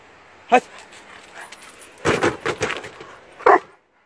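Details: Dobermann named Achill, urged by its owner into a car on the way to the sea, barks loudly: a single bark, then a quick run of several barks, then one more sharp bark. A person talks in Turkish in between.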